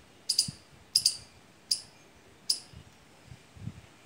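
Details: A squirrel, which visits mango and litchi trees as soon as they fruit and calls there all season, gives bright, piercing chips, often in quick pairs. They repeat at a steady, unhurried pace about every three-quarters of a second over faint low rumbles.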